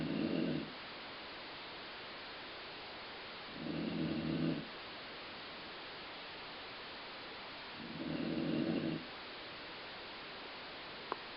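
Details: Colline, a dog, snores with a sound likened to stomach growling; three low, buzzing snore breaths arrive about every four seconds, separated by steady hiss, with a faint click near the end.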